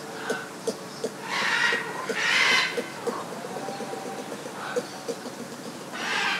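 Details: Ring-tailed lemurs at Opole Zoo, captured with a Sony Linear PCM M-10 recorder: breathy, noisy bursts of calling lasting about half a second, over a steady background of soft clicks and chatter.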